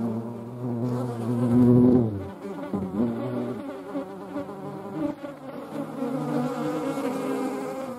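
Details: Flying European hornets mixed with median wasps make a low, rich droning buzz that swells to a loud peak near the start, then thins into wavering, overlapping hums of slightly differing pitch.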